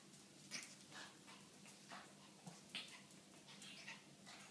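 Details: Shih Tzu dogs at play, an adult with Alfie, a 13-week-old Shih Tzu puppy; short high whimpering yelps and squeaky bursts scattered irregularly over a low steady hum, with soft scuffling between calls.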